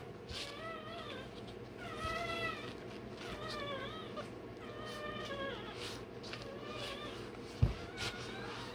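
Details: Newborn Rottweiler puppy, one day old, squealing as its tail and dewclaws are done; rising-then-falling wailing yelps repeated about once a second, a constant background hum and a loud knock near the end.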